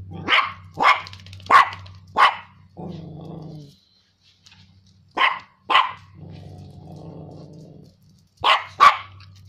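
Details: Frightened Chihuahua barking at a stink bug: bursts of shrill yaps in groups of two to four, separated by low rumbling growls, with a steady electrical-sounding hum underneath and a brief silent gap.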